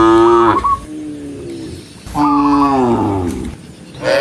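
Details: A herd of tame cows driven along a forest road, two long, low moos that slide downward, each about a second and a half, with soft background rustle between them.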